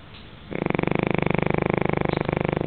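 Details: Sleeping Pekingese dog snoring: after half a second of quiet, a steady, rapidly pulsed raspy buzz with rich harmonics continues without a break to the end.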